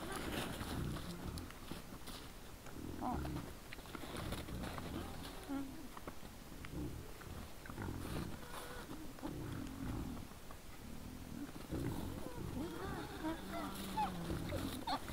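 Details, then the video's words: Several wild boars in front of a trail camera at 20:17 on 17 December 2022, giving a steady run of deep, rough grunts and snorts with short higher squeaky notes near the end, over constant low rumbling background. "Nice sounds of the Wild boars"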